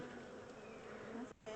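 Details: Honey bee swarm, the second one caught, being moved from a small temporary box into a bigger hive; steady dense buzzing hum throughout, a brief dip near the end, faint voices nearby.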